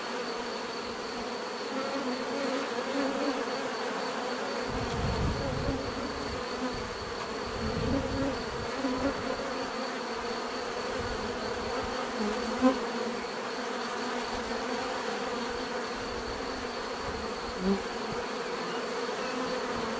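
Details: Steady buzzing of bees, a dense continuous drone with occasional louder passing hums, some low rumbling in the middle and a couple of brief clicks later on.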